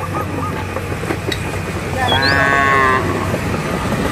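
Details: A cow out in a village field moos to call the herd home to the barn. A sustained lowing call of about a second sounds midway, with a brief upward bird whistle and a continuous low machine-like rumble.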